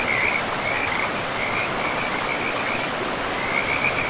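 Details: Frogs beside a forest river give short, rapid trilled calls in bursts, set against a constant rushing of running water.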